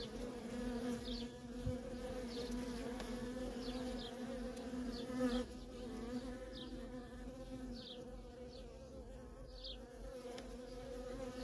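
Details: Feral colony of honey bees, workers streaming in and out nonstop; a constant droning hum layered in low bands, with repeated short higher zips of single bees passing near, roughly once a second.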